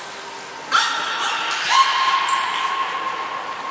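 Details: Training session with belugas Nico and Mirai at the Port of Nagoya Public Aquarium on 29 February 2020; a thin high whistle precedes a long, steady, nasal-sounding tone with rich harmonics, renewed by a second short upward note midway.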